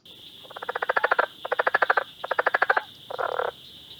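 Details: A southern leopard frog in Ohio, a species found only in the state's southernmost part that calls early in the year, gives rapid, guttural chuckling bursts, each a quick string of clicks, over a steady high hum.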